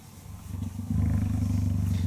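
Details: Captive adult female cheetah purring at night in her enclosure as part of a nightly routine, before stopping and love-biting a jersey; a soft low rumble swells after about a second into a loud, even, throbbing purr.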